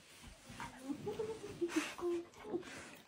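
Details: A cluster of short, pitched whines and yodel-like grumbles, sliding up and down, from Kim, a cheerful female German Shepherd puppy who is talking back. The calls end with one longer, steadier note.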